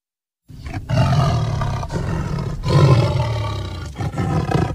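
A tiger gives deep, rumbling roars in long, throaty bursts.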